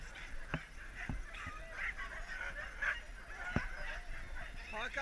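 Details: Sled huskies resting during a break on a husky safari in Lapland, Finland, raise an overlapping chorus of wavering, yelping howls, with several sharp knocks over the noisy background.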